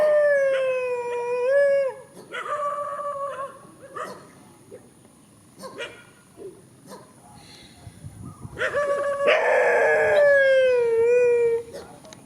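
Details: Countryside dogs in a field, facing each other: long wavering howls with slowly falling pitch, one lasting about two seconds, then a broken middle stretch of short yelps and barks before a louder, rough howl that slides down and fades.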